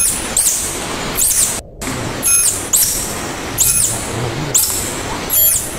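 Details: Short run of tarsier calls, the animal locals call tangkasi: six piercing high squeaks spaced under a second apart, each paired with a noisy hiss, broken by a brief cut of silence.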